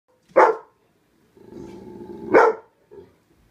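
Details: A rescue pup barking at fish: two sharp, loud barks about two seconds apart, with a low rumbling growl filling the gap between them and a soft grunt at the end.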